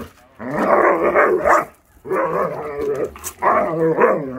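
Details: Rough, throaty grumbling and growl-like vocalizing from Akita Inu puppies playing wildly around the yard in warm weather, in three long noisy bursts separated by brief gaps.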